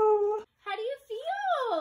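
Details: Talking female Siberian Husky, indoors, nervous about a vet visit with a fever; voiced, speech-like howling yowls in three phrases, the last sliding up then down, right after a person asks how she feels.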